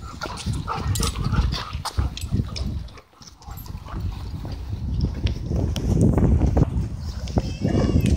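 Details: At a dog park, dogs wrestle and play, making low rumbling growls and brief gruff barks in quick irregular bursts, with a short lull partway through and faint voices in the background.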